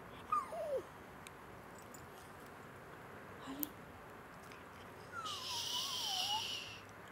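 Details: A Boston Terrier gives high, wavering whines that slide downward when asked "how does the baby go", with a person's voice nearby.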